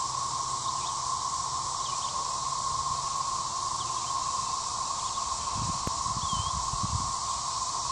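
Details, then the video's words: Thirteen-year periodical cicadas out at Gillam Park in Little Rock, central Arkansas, keep up an unbroken, even drone, with faint bird notes overhead and a brief rustle and thump near the end. "Cicadas are out"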